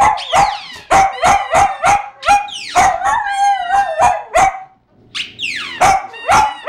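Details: A male poodle sings whenever he hears his toy dragon squeak, howling like a wolf in a run of short, high, yelping howls in quick succession, like broken singing.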